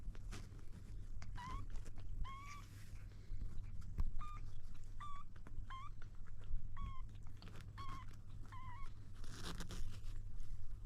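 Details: Kitten trying to drink milk, giving short, high, slightly bending mews in quick bursts, about nine within eleven seconds, over a steady low rumble with scraping and knocking sounds.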